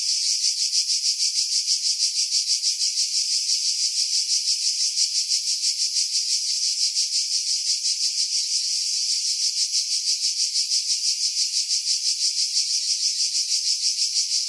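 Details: Summer cicada song from pines over Pefkos Bay, Skiros Island, Greece, July 2018: a relentless shrill electric-sounding buzz, rhythmically pulsing about three times a second throughout, wind noise edited out.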